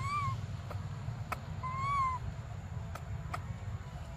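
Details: Baby monkey Briar, desperate for milk, gives two drawn-out, arched, tonal cries, the first brief and the second longer and rising before falling away, over a steady low rumbling background.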